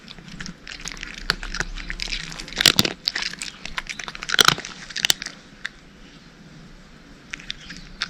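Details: Cat crunching dry kibble, a run of sharp, crisp bites that bunch together around the middle, then thin out into softer, sparser crackles near the end; the room is otherwise quiet.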